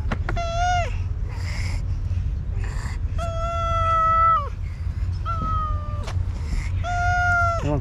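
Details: Hungry stray village cats, angry at a day-late feeding, meow repeatedly: several long, steady, strongly harmonic cries, some ending in a quick wavering drop, over a low rumbling hum while a man speaks Turkish to calm them.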